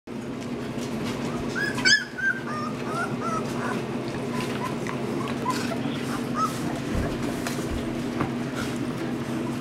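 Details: Australian Shepherd puppies about two and a half weeks old give short, high whimpers and squeaks over a steady background hum.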